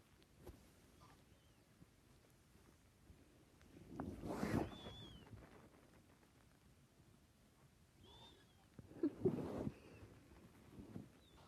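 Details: Domestic cat snoring, recorded in 2020 and said to snore like a bird; two breathy, rasping snores about five seconds apart, with faint high whistly tones between them over a quiet background.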